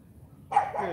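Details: Cane Corso puppy CHARME barking during morning training. A single deep bark with a trailing tail comes right after the command "sit, good," with praise and further commands following.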